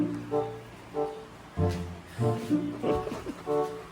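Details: Background music with plucked and bowed string notes plays, with no clear animal sound. Faint speech may also be present.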